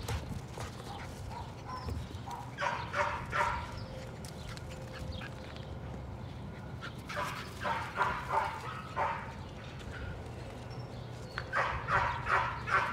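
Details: Patterdale Terrier puppies working rats in a puppy pen, with Cricket, a young black female, among the litter; short bursts of excited barking come in clusters of three or four, separated by pauses, over a steady low hum.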